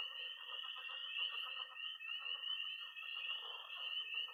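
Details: Night pond chorus of tree frogs, toads and frogs in early spring, Missouri: an unbroken shrill trilling wall overlaid with rapid mid-pitched croaking and chirping, steady and dense throughout.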